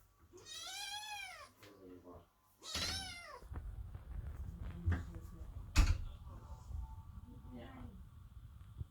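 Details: Kittens meow loudly outside a door while their mother, the cat Chloe, gives birth; two long, wavering, high meows open the clip, then low room noise and human voices follow.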